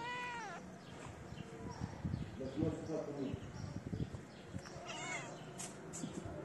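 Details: Street cats, a shy female sniffing the camera and her companion: a clear rising-falling meow opens, then human voices talk over low rustling, with a second fainter meow near the end.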